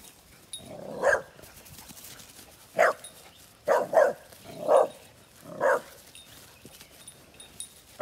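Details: A pit bull barks at a cow during an attack by two pit bulls, giving short, sharp barks, singly and in quick pairs, spaced a second or two apart.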